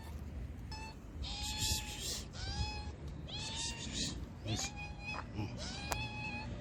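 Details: Hungry homeless street cats in Morocco being fed. Several cats give repeated clear meows, rising then falling, one after another. A person's voice speaks between calls.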